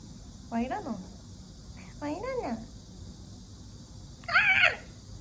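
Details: A first pet cat meows indoors in a small room: two short rising-and-falling harmonic meows about a second apart, then a louder, higher squeal near the end, with a person speaking softly around the calls.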